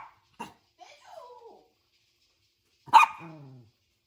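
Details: A puppy faced with an invisible wall gives a short yip, then soft falling whimpers, and after a pause a loud bark that slides down into a whine.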